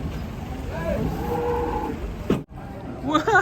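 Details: Cattle being unloaded from a truck, giving a wavering, mid-pitched moo lasting about a second, then a brief sharper cry, with engine noise and a man's voice close by.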